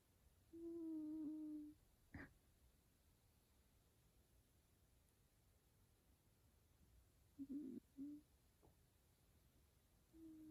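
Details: Male F2 Savannah cat, sleeping indoors while being petted, makes soft, low, steady hums and brief warbling chirps separated by long quiet gaps, with one sharp click.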